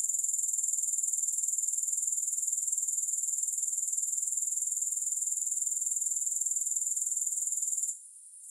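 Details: Shrill, rapidly pulsed grasshopper chirring, free of music, running steadily at high pitch for about eight seconds before stopping abruptly, leaving only a faint high hiss.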